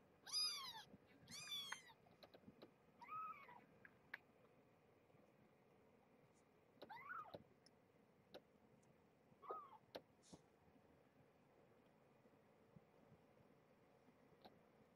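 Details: Springfield kittens, a litter of five born November 22, 2014 at Purrfect Pals to the rescued stray Marge, woken from sleep-nursing naps for a weigh-in: thin, high, arching mews in a quick burst, then scattered single mews amid soft clicks and handling sounds.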